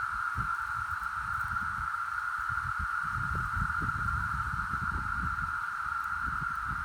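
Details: Brood X periodical cicadas, heard as a steady, even mid-pitched droning hum that never breaks, softer and farther off, with low rustling and rumbling noises underneath.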